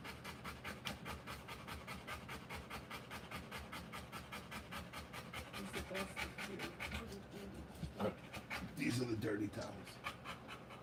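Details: Rottweiler giving birth to puppies, panting rapidly at about two and a half breaths per second; the steady breathy rhythm grows louder toward the end, where a brief voice and some rustling are heard.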